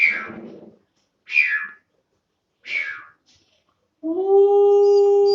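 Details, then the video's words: Two-month-old long-coat German Shepherd puppy: three brief breathy higher bursts, then a steady drawn-out howl begins near the end. "How to make 2 months old German Shepherd puppy Howling"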